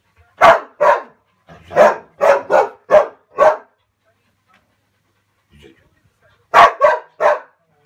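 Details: A West Siberian Laika barks at game during hunting training on fox, bear, moose and maral, in loud, harsh bursts uttered in quick runs of two to five.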